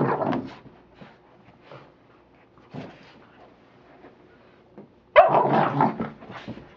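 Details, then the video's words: Rocky, an American Pit Bull Terrier at play with a toy, gives a brief bark at the start, a few faint grunts, then a sudden loud burst of barking and growling near the end. "my pit rocky playing with his toy"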